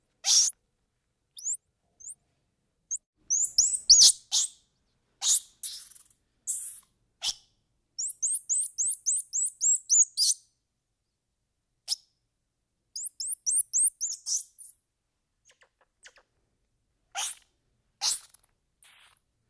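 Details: Squirrel monkey calls: sharp, high chirps and clicks in scattered bursts, with rapid runs of repeated twittering notes around the eighth and thirteenth seconds, set against otherwise quiet background.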